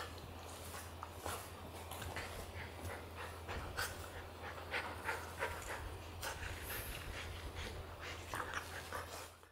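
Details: Playful scene of a Border Collie teasing a young Golden Retriever puppy. Steady, hoarse panting in irregular breathy pulses runs throughout over a constant low electrical hum, fading out at the close.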